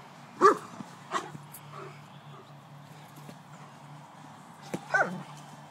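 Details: White German Shepherd dog at A & B Dogs, playing; a few sharp single barks spaced irregularly, two at the start and a pair near the end, over a steady low hum.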